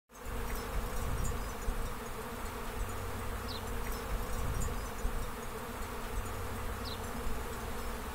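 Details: Honey bee swarm on a tree branch, bees friendly and calm while being caught into a box; dense low steady droning hum throughout, with a few faint higher whines of individual bees passing near.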